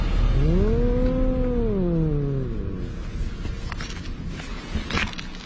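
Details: Two cats quarrelling at the seaside, one of them an orange cat: a single drawn-out, low moaning yowl that swells, holds, then sags downward over about two seconds, over steady low rumbling background noise with faint clicks afterward.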